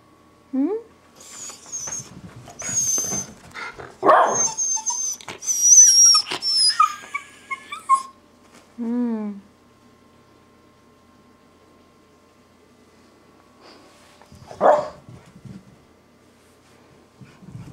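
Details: Two house Miniature Schnauzers wild with joy at an owner's homecoming make squeaky, very high whistling whines and yelps, a descending stack of short cries, then quiet and one late yip, while a person speaks to them.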